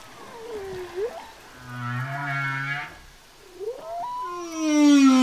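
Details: Humpback whale song: swooping tonal moans sliding down then up, a low steady hum near the middle, and a rising harmonic-rich wail ending in a bright sustained high note.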